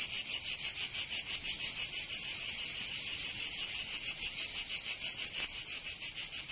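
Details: Cicadas singing in summer in Provence, southern France: a dense, high, buzzing chorus pulsing about three times per second, steady throughout, with no other clear sounds.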